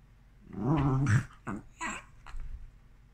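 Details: Havanese dog indoors, upset over a toy stuck under the sofa, gives a low, wavering growling whine of about half a second, followed by a few short scuffling bursts and soft sounds in a small room.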